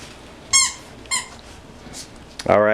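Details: Six-week-old tri-colour American Bully puppies, pocket class, give two short, high, bright squeaks about half a second apart indoors, followed by a man's voice starting to speak.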